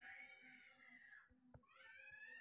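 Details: Sick newborn baby monkey, cared for at home after its condition suddenly worsened, giving a long high wavering cry that slides downward, then a second rising cry, with a woman talking softly and a faint steady electronic tone behind.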